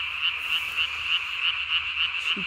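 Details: Japanese tree frog at night on 3 May 2020, its chin vocal sac blown up to body size; about eight crisp, evenly spaced high croaks in a steady run over a constant background chorus.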